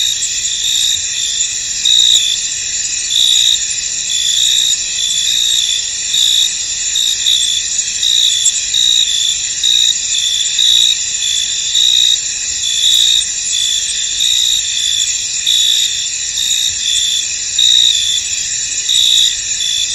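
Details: Crickets in a misty, foggy field: a dense, shrill, unbroken insect chorus of several steady high tones, with louder pulsing bursts swelling every second or two throughout twenty seconds.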